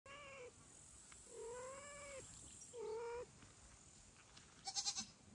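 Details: Kittens calling loudly to their mother cat indoors: three drawn-out, steady-pitched meows about half a second to a second long, followed by a short buzzy, pulsing squeal, over a faint background hiss.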